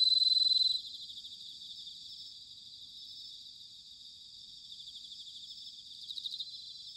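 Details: Bell crickets singing in autumn, recorded at Sanuki, Chiba, Japan: a steady high, pulsing trill of rapid repeated chirps that continues without a break, louder for the first second, with no other clear sounds.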